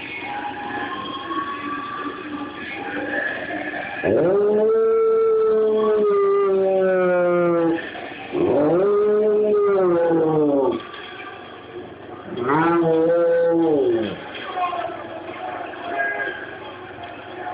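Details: A Rottweiler howls in long, drawn-out, wavering tones, answering the sound of sirens on a TV show he waits for.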